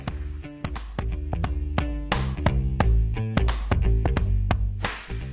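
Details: Upbeat funky music with plucked guitar and a steady thumping beat fills the whole stretch, with no animal voice.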